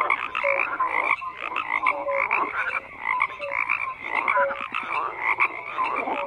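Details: Frogs croak in a massed chorus, rough pulsed calls interleaved with short, pure, low-pitched notes that recur about every second over a constant buzzing background.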